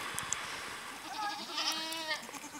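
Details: Baby goats nuzzling and climbing on a man who cuddles them give a wavering, quavering bleat that rises and holds for about a second, with faint clicks and rustling underneath.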